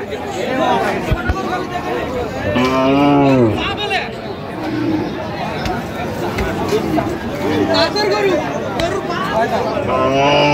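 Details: Thin, bony milch cow at the Ambari haat cattle market on 21 October 2025 gives one low, drawn-out moo lasting about a second, its pitch arching up then down, amid steady crowd chatter and haggling voices.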